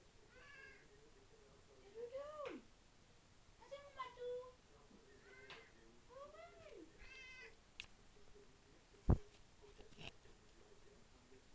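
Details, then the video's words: Domestic cat Tigroo indoors at mealtime, communicating enthusiasm while the food bowl is prepared: about five rising-falling, harmonic-rich meows spaced every second or two, with a faint background hum and a sharp click near the end. "Chat qui parle / 話をする猫"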